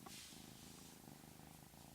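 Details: Cat that makes an odd sound, usually quiet and hard to capture; faint continuous low purring under a soft hiss, with a short higher click at the start.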